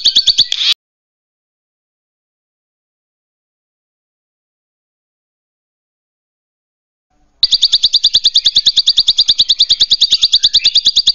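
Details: A king grasshopper in the wild gives a short burst, falls silent, then keeps up steady, high, dry ticking pulses, roughly three per second, with no other sounds.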